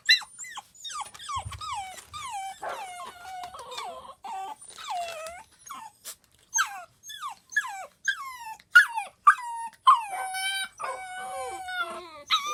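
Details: Several of four Corgi puppies cry indoors while penned during cleaning. High, wavering whines overlap almost without pause, many bending downward at the end, and they grow louder and sharper toward the close.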